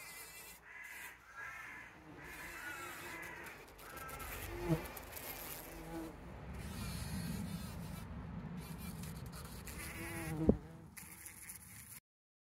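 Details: Bees collecting pollen on 17 June 2023, caught on a trail camera: a wavering buzzing hum whose pitch rises and falls as the insects move, strongest from about four to seven seconds, with two sharp knocks near 4.7 and 10.5 seconds.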